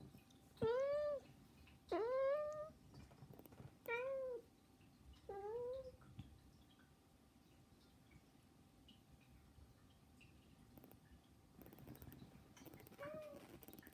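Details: Pet cats begging indoors with no background music; four short rising-then-falling meows in quick succession over the first six seconds, a pause, then one more faint meow near the end.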